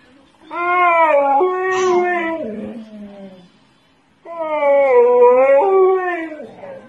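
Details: Pet dog howling along in reaction to a song: two long, sustained, tonal howls, each wavering and stepping up and down in pitch, the first lasting nearly three seconds, the second starting after a short silence.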